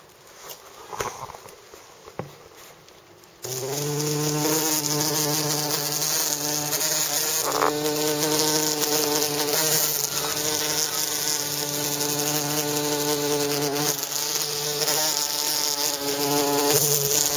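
A bumblebee gives a steady, low droning buzz with a rich, humming tone that wavers slightly in pitch.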